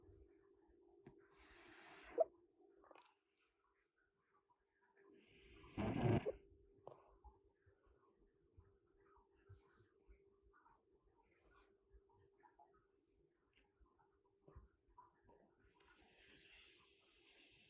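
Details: Male pet cat with a bad nose snoring loudly: three harsh, rasping, noisy bursts near two, five to six and fifteen seconds, separated by long quiet stretches over a steady low hum.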